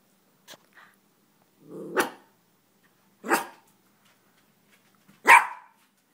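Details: Yorkshire Terrier named Chewy, an 11-month-old male, reacting to his own reflection indoors; short low growls followed by three sharp barks spaced about a second apart, with a faint soft bark before them.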